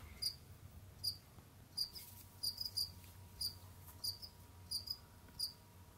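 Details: Jamaican field crickets kept as pets indoors give bright, brief chirps, some doubled, spaced unevenly roughly once per second or faster, with a thin constant electrical hum and soft low background noise.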